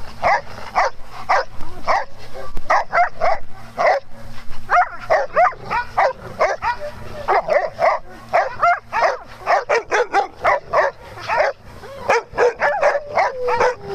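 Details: Farm dogs at playtime barking rapidly and repeatedly, sharp high barks with yips in dense runs, a steady low hum beneath.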